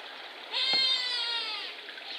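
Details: Lhotse, a young male Himalayan tahr born 6 July 2019, at Tama Zoological Park, Japan, recorded 30 October 2021. He utters a long, nasal, goat-like bleat of over a second, slightly falling in pitch, with a couple of sharp knocks and background hiss.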